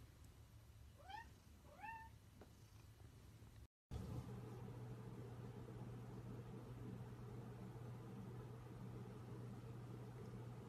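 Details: Domestic cat giving two short, rising meows about a second apart, each bright with harmonics, followed by a cut to a steady low hum and a soft, purr-like rumble.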